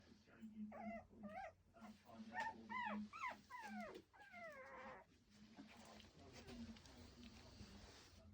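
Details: Lancashire Heeler puppies at Saturday afternoon playtime, their mother watching over them. A quick run of high, arching whimpers and yelps comes several per second over a steady low hum, then fades into quieter squeaks and scuffling.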